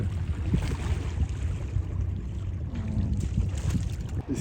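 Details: Heavy low-pitched wind buffeting and lapping water fill the recording throughout. No animal voices stand out, only a faint trace of distant speech beneath the rumble.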